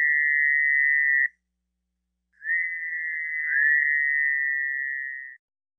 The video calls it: Fowler's Toad